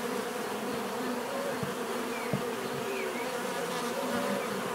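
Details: Continuous buzzing of bees with wavering low tones as insects fly past, a few faint thin whistles and soft ticks in the background.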